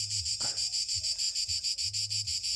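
A cicada sings a steady, shrill, buzzing drone with a fast pulsing texture.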